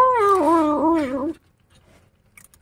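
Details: Kittens angered while being disturbed at their food give a loud, drawn-out, wavering growl of over a second. It dips and rises in pitch with rich harmonics and is followed by near silence and a faint clatter.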